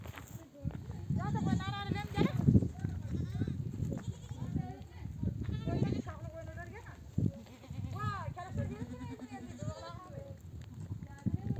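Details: A nomadic flock returns from grazing in oak desert country, mother sheep bleating to gather lambs for nursing; overlapping quavering bleats fill the recording alongside people talking and steady low background noise.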